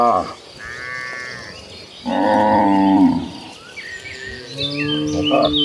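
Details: Tame cattle from a herd of hundreds heading out to pasture low repeatedly, with one strong drawn-out moo in the middle and softer calls before and after, while birds twitter faintly behind them.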